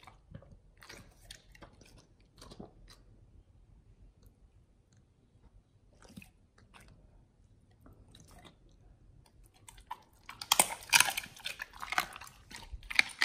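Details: Pit Bulls on a raw BARF diet eating a raw beef shank combo. Sparse soft clicks and crunches at first, then from about ten seconds a burst of loud, dense, wet crunching and gnawing fills the rest.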